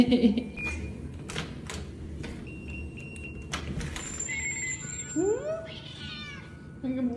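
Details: A house cat that comes to meet its owner returning from work each day greets her with brief, rising, slightly nasal meows, between welcome and scolding. A woman talks warmly over the calls, and faint electronic tones sound in the background.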